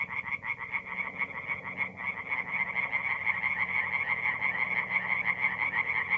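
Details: Forest pond in north-east Italy on an April night, tree frogs chorusing: rapid repeated croaks, roughly two pulses per second, blend into a continuous rattling din over a low murmur.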